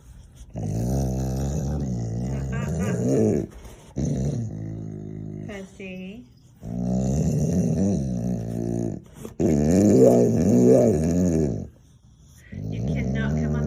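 A Boxer dog makes long, wavering groaning and growly moans indoors, with people talking nearby.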